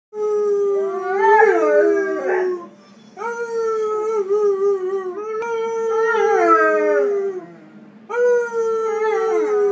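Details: Lager, a 14-month-old male Weimaraner, working out his vocal cords with long, drawn-out howls in three bouts, each a sustained mid-pitched tone that wavers, dips and slides downward, separated by brief pauses; no other clear sounds.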